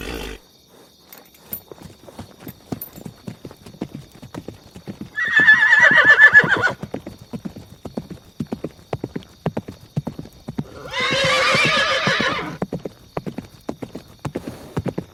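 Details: Horse neighing over steady clip-clop of hooves, with two loud shrill whinnies, each about one and a half seconds long, spaced roughly six seconds apart.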